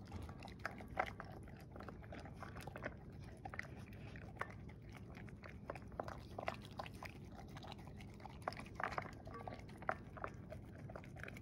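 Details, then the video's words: Indoors, an English Springer Spaniel in a snood works through kibble and cooked beef at dinner, making soft, scattered crunches and sharp clicking bites over a low room hum. "ASMR Dog Eating Her Kibble and Cooked Beef"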